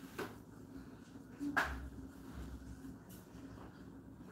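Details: Quiet indoor room tone with a few soft clicks and taps, faint murmuring in the background.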